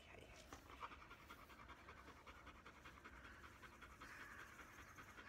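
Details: Shedding black Labrador Retriever called Bee breathing hard in fast pants while its coat is brushed; short hissing breaths repeat about two to three times a second, with faint rustling of fur and brush.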